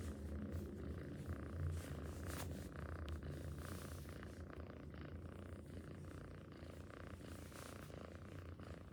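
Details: Low rhythmic purring from a cat pulses in regular cycles, about three per second, with soft rustling and a few brief higher noises over the rumble.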